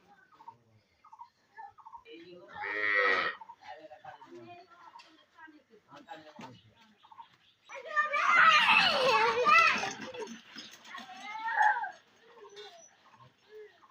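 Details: Calf playing and jumping about with people, who say it won't butt. A short strained moo comes first, then a long, loud, hoarse moo lasting about two seconds and a shorter call after it, with people talking throughout.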